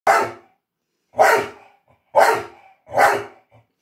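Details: A Staffordshire Bull Terrier that loves water gives four loud, hoarse barks, roughly one per second, barking for a shower.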